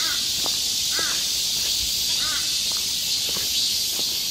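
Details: Summer cicadas singing in chorus in the forest of Galsan Park, Mokdong, Yangcheon-gu, Seoul: a dense, steady, hissing buzz fills the upper range without a break, while a crow caws several times in the background.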